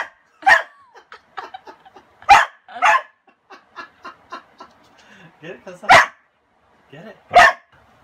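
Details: Kasa the dog, frightened of a broom covering his toy, lets out four harsh, loud barks spaced one to three seconds apart, mixed with human chatter and a laugh.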